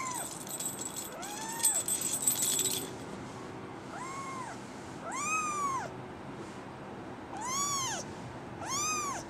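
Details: Brown tabby and white female kitten born December 24, 2010, giving six separate arched mews a second or so apart, some high and bright, with a brief burst of rustling near the start.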